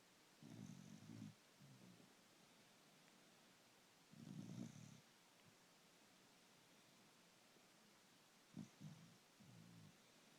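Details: Puggle asleep and snoring, long low rattling inhalations roughly every four seconds, each about a second long, with quieter short snorts between them in a still room.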